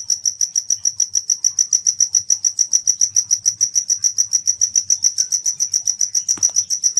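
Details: Insect found at night; a pure, very high-pitched chirp repeated steadily about three to four times per second without pause, with a brief click near the end.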